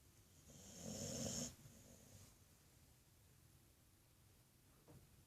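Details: Sleeping female pet dog snoring like a human indoors; one loud, raspy, breathy snore swells for about half a second, then quiet breathing and a faint click follow.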